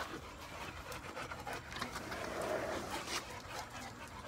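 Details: Molly, a pregnant Boxer dog in week one, day seven, who plays with other dogs but tires easily, pants softly in quick breathy bursts, about three to four per second, with an uneven rhythm and faint background noise.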